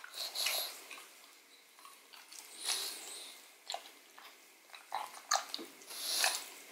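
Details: Marrow bone being chewed by Odin the pug, recorded up close indoors: wet smacking bursts at the start and near three seconds, then a string of quick crisp bites and a final loud slurp.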